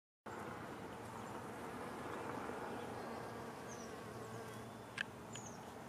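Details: Bumblebees foraging on giant Juliette poppy flowers give a dense, continuous, low, rich buzz that barely wavers, with a couple of faint thin chirps and a soft click near the end.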